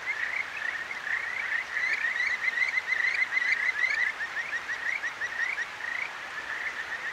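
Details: Kajika frogs calling at night along a clear stream in Akigawa Valley, Tokyo, recorded on a ZOOM H6: many overlapping short rising chirps, some with upper overtones, strung into bright trills over a steady hiss of flowing water.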